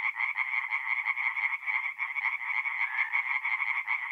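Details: Tree frogs singing at night in a forest pond in mid-April, north-east Italy: a dense chorus of rapid, pulsed croaks, the callers overlapping into one steady rattling band with no other sounds.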